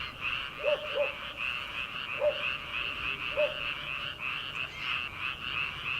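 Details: Frogs calling from a rice paddy on an early summer night, before rice transplanting. A steady rattling chorus runs throughout, and a few brief, lower croaks stand out near the start and middle.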